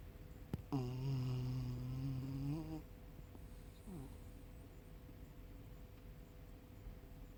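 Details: Asleep indoors, Tucker the male Yorkshire Terrier, one of three Yorkies traveling by van/RV, lets out a drawn-out, low, nasal snore lasting about two seconds after a sharp click, followed by a brief faint snuffle and room hum.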